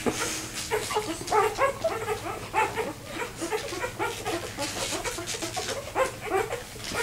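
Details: A two-day-old vizsla puppy, left behind by its six siblings and trying to find its way back to its mother: rapid, high, squeaky whimpers and yelps repeating continuously, amid a chorus of other puppy squeaks.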